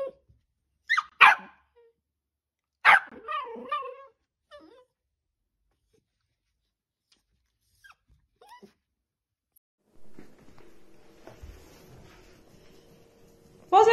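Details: Dachshund giving a few sharp barks and a short growling yelp, separated by long quiet gaps, with faint background hum near the end.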